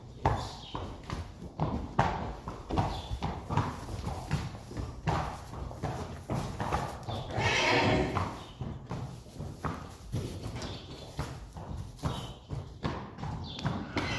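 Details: Friesian horse on the day the sport mare Reintje is ridden again for the first time; steady clip-clop of hooves throughout, with a short harmonic whinny rising out of the footfalls midway and a few spoken Dutch words.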